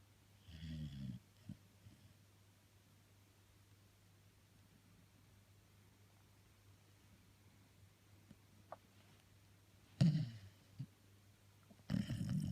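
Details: Jessie, a female Labrador Retriever, snoring while asleep indoors: low, rough snore bursts near the start, around ten seconds and at the end, with long quiet stretches between and a steady low room hum.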